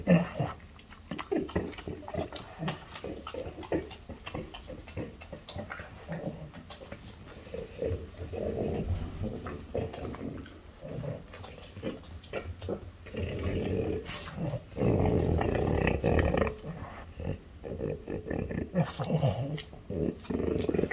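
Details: French Bulldog mother Ume (5) and daughter Roku (4) eating peaches from Fukushima indoors; loud, rough nasal snorts and grunty huffs in bursts, mixed with rapid chewing and slurping clicks.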